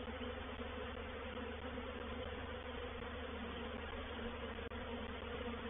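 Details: Continuous wing hum of a honey bee reproductive swarm settling into a bait hive at Painted Peacock Manor, 04/07/21; the massed low buzz holds steady, broken only by a tiny click near the end.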